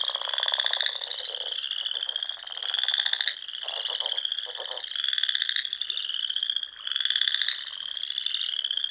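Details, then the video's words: Dusk chorus of frogs in the Nebraska Sandhills in spring, near small ponds. A continuous high pulsed trilling has four stronger buzzy surges, with lower rattling notes in between. "RELAXING SOUNDS OF FROGS"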